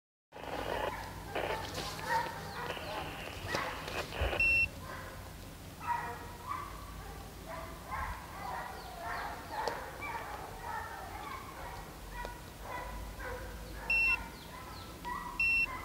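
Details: Pack of HomeGrown Kennels hounds chasing deer on a hunt at St Helena, South Carolina: many overlapping yelping, harmonic bays sounding together, with people talking and short electronic beeps from tracking gear.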